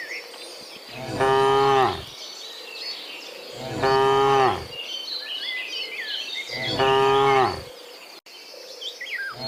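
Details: Dozens of cows walking home from the fields to the pen in the afternoon; three loud, harmonic moos about a second long each, spaced roughly every two and a half seconds, with chirping birds and a faint insect hum behind.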